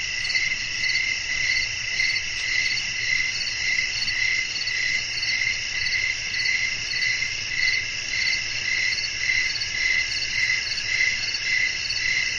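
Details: Crickets chirping at night in a natural setting with blowing wind. Bright, even chirps pulse roughly twice a second over a steady high shimmer of other insects, with a faint low rumble underneath.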